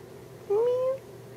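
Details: Domestic cat giving a single rising then level meow, about half a second long, clear tonal with harmonics, in a quiet indoor room.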